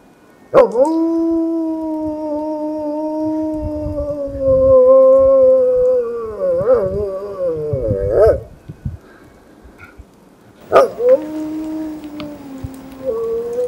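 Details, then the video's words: Maremmano-Abruzzese dog singing at Green Cape, Ajara, Georgia: long sustained tonal howls, rich in harmonics, hold steady then waver and break, with a pause before another rising howl begins. "Maremmano-Abruzzese ALFA 's singing."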